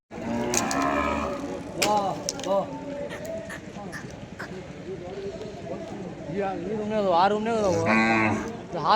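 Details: Hallikar cattle herd at Kunikenahalli, Karnataka, giving low, drawn-out moos near the start and again near the end, mixed with people talking and background music.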